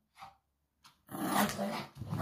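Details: Mitrofan, a pug, gives a harsh, rasping growl that swells for about a second during rough play over a slipper he won't give back. A man's voice is heard briefly just before it.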